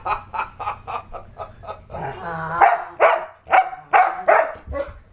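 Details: Dojo, a pit bull-husky mix, protecting a new baby from mock attacks at home: a quick run of short, even yips, then louder, harsher barks spaced about every half second.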